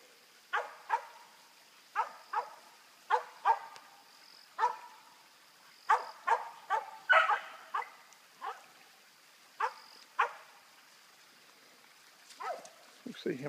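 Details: Dog barking while treeing a squirrel outdoors: single loud barks spaced one to two seconds apart, fairly regular, with a steady faint high hum in the background and a man's voice at the end.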